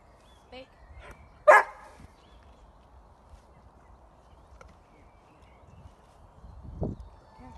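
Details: Coco, a female Doberman, during an obedience skills session: one short, sharp bark early on, then near silence with faint low rumble and a brief soft human voice.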